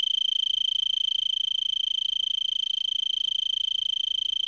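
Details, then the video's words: Arizona tree cricket singing from a brittlebush in Vail, Arizona, at 3300 ft, on December 26 around 5 PM at about 70 °F: a steady, unbroken high trill of fast even pulses, with faint low rumble beneath. "Arizona Tree Cricket"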